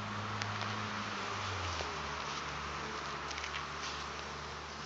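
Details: Honey bee swarm settled in at a farm, recorded 9 June 2012: a dense, continuous buzzing hum with steady low droning tones that shift partway through, and a few faint ticks over the drone.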